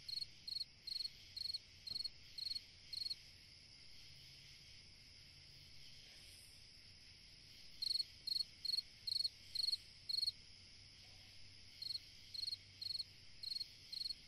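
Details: A cricket singing on a summer night: short bright chirps, each a quick pulsed burst, repeated about twice a second in runs with a pause of several seconds mid-way, over a steady high background hiss.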